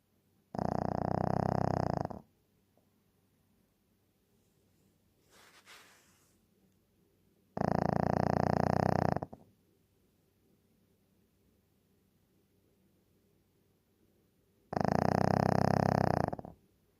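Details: Deeply sleeping Shih Tzu gives three loud, buzzy snores about seven seconds apart, each lasting roughly a second and a half, with a faint rustle in a quiet room between them.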